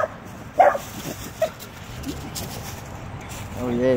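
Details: A small dachshund gives two sharp, high barks to tell off a full-grown Rottweiler. It defends what is now its territory and seems to take the Rottweiler for the dog that used to live there.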